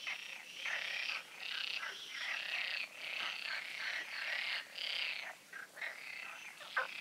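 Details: Pond frogs in a nocturnal chorus at the Oasis, recorded the night before the full moon; rough, rattling croaks swell in long overlapping bursts broken by short gaps, with a sharp click near the end.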